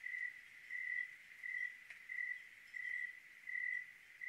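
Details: Short run of cricket chirps recorded on a clear Oregon night: six or so evenly spaced high-pitched pulses, each about a third of a second long, against quiet background.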